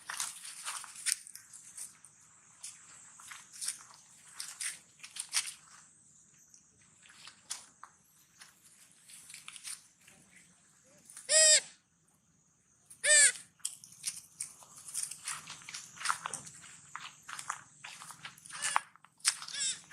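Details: Hungry young monkey Sweetpea, calling sadly for its mother and eating watermelon: two loud harmonic cries about two seconds apart near the middle, surrounded by steady crunching and chewing clicks from feeding.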